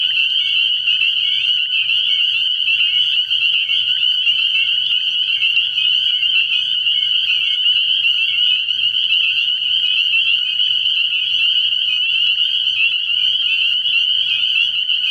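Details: Dense chorus of spring peepers at a frog pond at night, early in the year: countless shrill, high peeps merge into a constant ringing drone, with no pauses throughout and only a faint low hum in the background.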